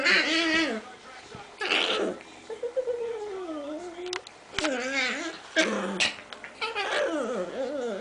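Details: Chinese Crested dog indoors making 'ninja' sounds while play fighting with another dog: drawn-out, wavering whines and grumbling yelps rising and falling in pitch, in bursts between pauses, with people talking and laughing.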